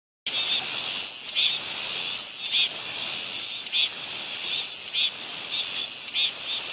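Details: Soyosan cicada on Muuido, Korea: a continuous, dense, high buzzing hiss with brief pulsed accents roughly once a second.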